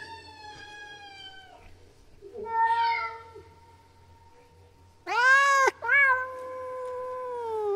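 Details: Mating call of a female domestic cat in heat: a faint held wail, then a wavering mid-pitched yowl, followed by a loud sharp rising cry and a long steady moaning tone, with a low hum beneath.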